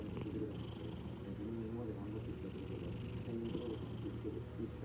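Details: Domestic cat relaxing on its owner's lap, dozing, purring: a steady low continuous rumble throughout, with intermittent breathy hiss bursts at the start and in the middle.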